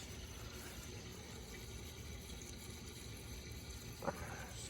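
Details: Steady low rushing of water with a single brief knock near the end, and no animal voice. No calls stand out above the running water.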